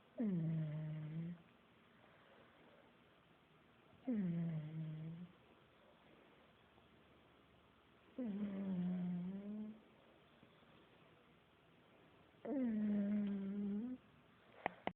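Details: Buddy the pug snores while asleep: four loud, low, rattling-tonal snores, each about a second long with a slight wavering pitch, repeating roughly every four seconds, with quiet gaps between breaths indoors.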